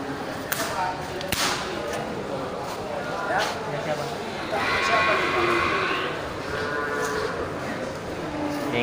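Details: Water buffalo at the Geulumpang Payong livestock market, Bireuen, 10 October 2020, on a slow day with few buyers. A single long, harmonic-rich low call rises out of the crowd noise midway, with thumps and talking around it.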